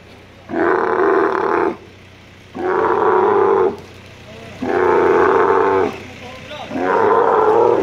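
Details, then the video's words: At Al Ain camel market, UAE, in March 2017, an angry male dromedary being shifted by crane gives four loud, harsh, gurgling roars, each over a second long, spaced roughly two seconds apart. "Moving an angry male camel with crane at Camel Market in Al Ain UAE"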